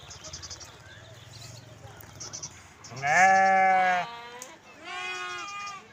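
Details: Sheep or lamb bleating twice: a loud, drawn-out wavering cry followed by a shorter, softer bleat, with a low hum and faint rustling beforehand.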